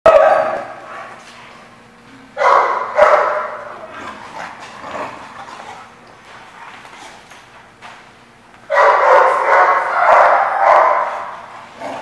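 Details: Dogs barking on 14 August 2015: harsh, clustered barks in two loud bursts, one early and a longer run near the end, separated by quieter stretches of scattered yips and low background hum.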